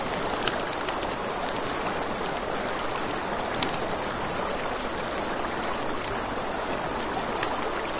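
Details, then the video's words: Night crickets by a river give a continuous, shrill, fast-pulsed trill throughout, while a campfire sends out a few sharp cracks and the river rushes steadily underneath. "Campfire by the River at Night Ambience | 1 Hour of Crackling Fire, Crickets, Ambient Nature Sounds"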